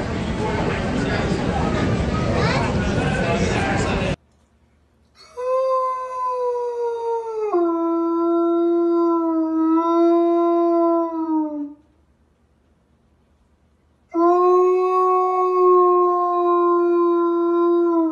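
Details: Playful dog giving long, steady, tonal howls that hold one pitch and then step down slightly; two extended howls separated by a pause, with a burst of loud broadband noise before them.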